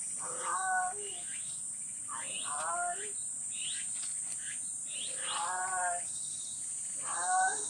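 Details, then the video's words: Outside a livestock barn where the barn cat Jerry has been nursing kittens, a strange caller gives faint, wavering meows about every two seconds. Short high chirps from insects or birds run between them over a continuous high hiss. "[축사 고양이 제리의 하루] #3 밖에서 들리는 이상한 소리의 정체는?"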